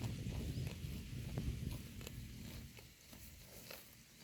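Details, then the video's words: A herd of cows grazing on grass in a pasture: soft irregular tearing and munching crackles over a low rumbling background, with scattered sharp clicks. "The Sound of a Herd of Cows Eating Grass"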